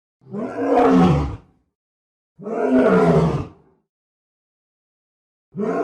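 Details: Lion roar: deep, rough roars of just over a second each, repeated about every two and a half seconds, with a third starting at the end. Clean silence separates the calls.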